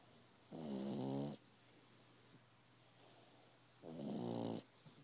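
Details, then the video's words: Pug snoring while asleep indoors: two rasping, fluttering snores, each lasting under a second and about three seconds apart, with quiet breathing between. "Snoring pug"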